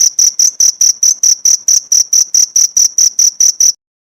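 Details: High-pitched cricket chirps, used as a training recording for pleci songbirds, repeated in a fast even rhythm of roughly four pulses a second for under four seconds, then silence.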